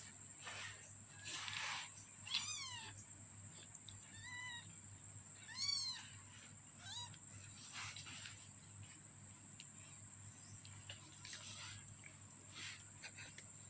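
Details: A 15-day-old kitten gives a series of thin, high, arching mews, each sliding up then down, spaced a second or two apart over a steady background hiss and constant high electronic whine.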